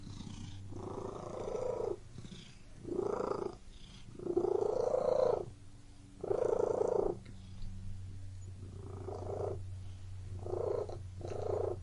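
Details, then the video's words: Indoor domestic cat with a steady purr, buzzy vibrating swells rising and falling with breathing, about seven bursts, the later ones shorter and closer together, low room hum beneath. "Purring Cat in Room"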